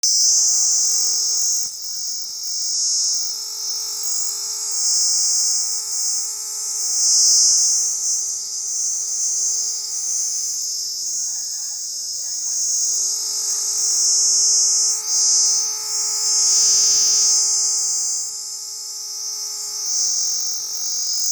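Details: A cicada in a tree gives a loud, steady, high-pitched buzz that drones on with only slight surges.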